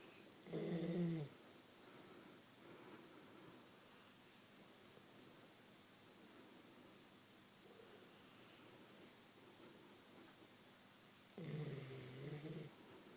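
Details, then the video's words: Queensland Koolie sleeping and then being woken, with a short low snore at the start, faint breathing and shuffling, then a rougher, uneven snort-like snore near the end. "My Koolie snoring"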